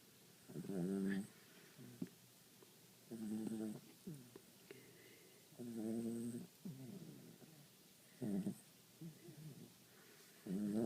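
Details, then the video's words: Bam, a pet dog, snoring softly while asleep; short rumbling, buzzy breaths repeat about every two and a half seconds, with quiet pauses between them. "Bam's Snore"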